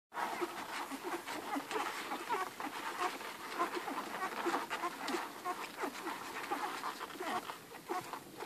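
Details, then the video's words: Eleven hungry Irish Red and White Setter puppies nursing from their mother Ruby: a dense, continuous patter of wet suckling clicks with scattered faint high squeaks. "11 hungry irish red and white setter puppies nursing"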